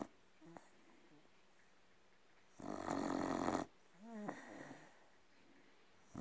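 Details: Red Staffordshire Bull Terrier snoring: a long, rasping, noisy snore lasting about a second, then a softer whistling, whiny breath with a wavering tone, over a quiet low hum.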